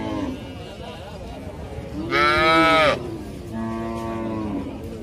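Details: Young calf giving a short low moo, then a loud, higher-pitched bawling call lasting nearly a second, followed by another steady moo.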